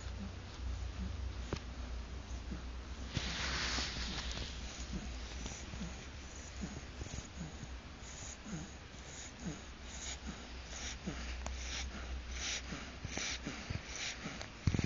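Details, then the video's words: Ludvig, an 8-week-old French Bulldog puppy, snoring in his sleep, recorded on a phone: soft, rhythmic wheezy snorts about every second under steady low hiss and hum, with a brief louder rustle near the fourth second. "Puppy snoring"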